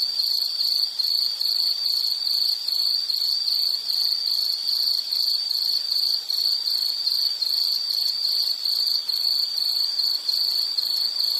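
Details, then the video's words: Insects chirp continuously as nature ambience for sleep: high, buzzy pulse trains come in even bursts about two to three per second, the loudness steady throughout and no other sounds present. "Sound · Nature Sound of nature sounds scenery L · insect"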